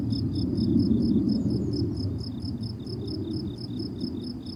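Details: High pulsed cricket chirps repeat rapidly and evenly on a summer meadow, partly masked by a strong low rumbling background that swells and fades.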